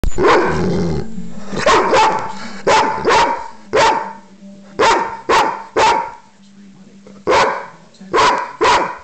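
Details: Guinness, a dog, barks loudly in a steady series, about a dozen strong, sharp barks spaced roughly half a second to a second apart, with a person's voice faintly mixed in near the start.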